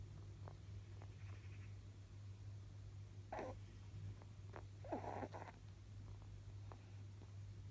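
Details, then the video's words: Almost eleven-year-old male pet rabbit snoring during a power nap: two soft, breathy, rasping snores a couple of seconds apart over a steady low hum, with faint small clicks between them. "My rabbit is snoring"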